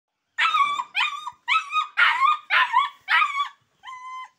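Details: Rottweiler-Boxer mix puppy, described as intelligent but very aggressive, giving six whining, harmonic yelps, each level then slightly rising, repeated about every half second with short gaps between them.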